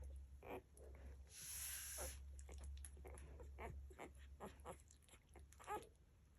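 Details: Nursing Labrador Retriever puppies give thin, high squeaks and whimpers, roughly one a second, over a steady low hum.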